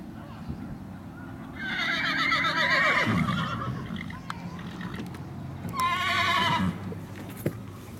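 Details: Ridden black Tennessee Walking Horse mare, 12 years old, whinnies twice: a long quavering neigh of about a second and a half, then after a pause a second shorter shaky whinny, with scattered clicks and hoof-like knocks.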